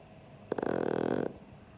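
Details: Pug Sheldon asleep: a single short, harsh snore under a second long, made of rapid vibrating flutter pulses, starting abruptly and stopping cleanly against a quiet room.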